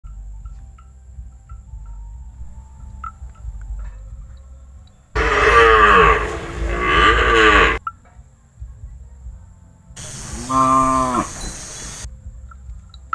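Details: Tame young calf, unafraid of people, lowing twice in a long harmonic moo around 5 to 8 seconds, then a shorter bleating moo near 10 to 12 seconds, with quiet clicking ticks in the background between calls.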